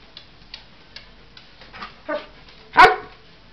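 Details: A 9-month-old Old English Sheepdog barks while following its owner and then running away. Faint taps and a short muffled bark lead to one loud, sharp bark near the end.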